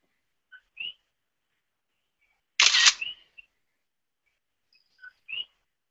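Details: An invasive common coqui frog heard in the background on a picnic-area trail in Puna District, Big Island of Hawaii, gives its two-note 'co-qui' call, a low note jumping to a high whistle.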